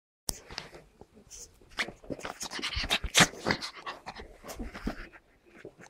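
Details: Pug puppy Tilda and Chihuahua puppy Roz at play, producing a dense, scrappy stream of short yips, snorts and growly bursts, packed closely together in uneven rapid rhythm, with brief quiet gaps near the end.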